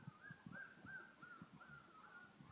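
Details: Three-week-old Collie puppies scampering around a living room: a run of thin, high whines, each bending upward then sliding down, about six in under three seconds, over soft thumps and scuffling of small paws.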